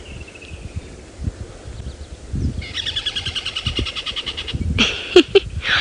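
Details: A tree squirrel calling unseen from bush at sunrise on 14 Dec 2016 in Djuma Game Reserve gives a scolding alarm, a fast cackling rattle of high clicks for about two seconds; a possible leopard or lion is suspected; faint whistle before, sharp knocks after.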